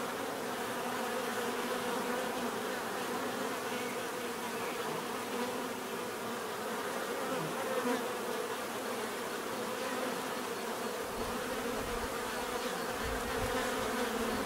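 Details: Many bees buzzing steadily, a dense hum of overlapping wingbeat tones with layered harmonics, continuous and even throughout, no other sounds standing out.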